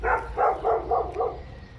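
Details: Dogs barking inside an apartment building: five fast, loud, ringing barks in rapid succession over about one second, with low background hum.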